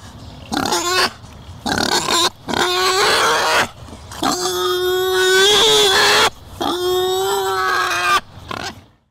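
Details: A European wild boar (Sus scrofa) gives six harsh, nasal squealing grunts, each lasting half a second to two seconds, with short pauses between them and no other sounds.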